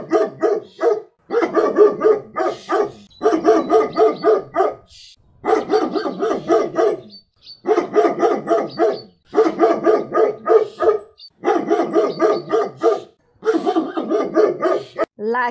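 A German Shepherd barks in rapid, deep bursts separated by brief pauses.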